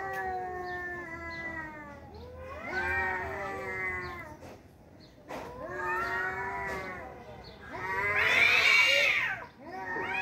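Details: Pair of tomcats in a fight, drawn-out howling yowls that bend up and down, building to a loud, harsh, strained peak near the end; the two voices overlap at times.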